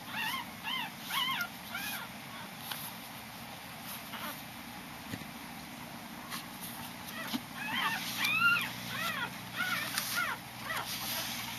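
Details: Five-day-old Corgi puppy being weighed, giving short arched squeaks in small groups, sparse in the middle and denser near the end, over a soft steady background hiss.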